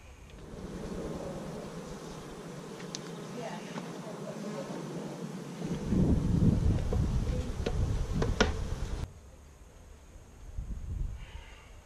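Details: Honey bees of a young colony, begun with about 15,000 bees in May 2017, recorded on GoPro cameras in week 5 of its first year: a low, steady droning hum with wind rumble, swelling louder midway, plus scattered clicks.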